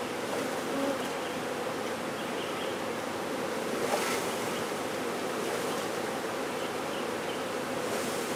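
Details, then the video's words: Honey bee swarm being removed: a dense, steady droning hum of many bees, unbroken throughout, with a soft hiss and a faint brief rise in noise near the fourth second. "Honey Bee Swarm Removal"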